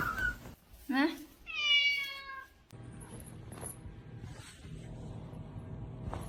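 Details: Domestic cat meowing: a drawn-out harmonic meow with a slight rise then fall, about a second and a half long, followed by quieter rustling, a faint short high call and low room noise.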